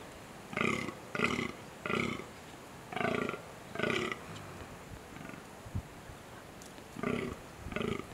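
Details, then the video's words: Deer during the rutting season: a series of short, hoarse, breathy grunts in bursts, seven calls over about eight seconds with a long pause midway, against a quiet outdoor background. "rutting season deer"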